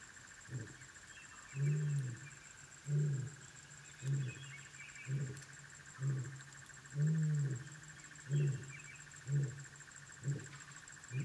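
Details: Lycaon pictus puppies calling at the den: loud, deep hooting notes repeated roughly once a second, some longer and fuller, with a constant insect buzz and faint birds behind.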